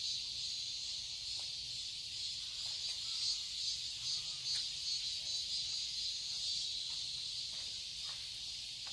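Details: Summer cicadas in a Seoul garden, Korea, filling the air with an unbroken high-pitched hissing drone that throbs gently; scattered faint brief sounds lower down.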